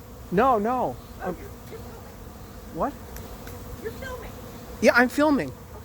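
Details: Bees of a late-season honey bee swarm taking over an empty, unprepared hive; several short buzzing passes with wavering, swooping pitch, louder at the start and near the end, against a soft background drone.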